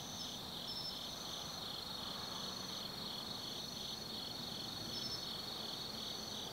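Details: Night chorus of autumn forest insects at Tsukimi Forest, Nannō, Kaizu, Gifu Prefecture, Japan: continuous shrill trilling in stacked high bands, one caller pulsing rapidly, about three pulses a second, over a low distant rumble.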